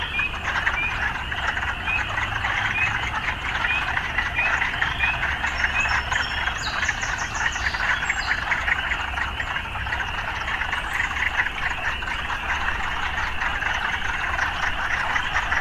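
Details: Frogs in an urban setting, a dense continuous chorus of overlapping rasping croaks forming a steady mid-pitched wall of sound, with faint high chirps around the middle and a low steady rumble of city life underneath.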